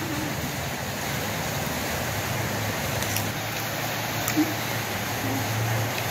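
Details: Steady low hum and broadband noise, with no animal voices heard.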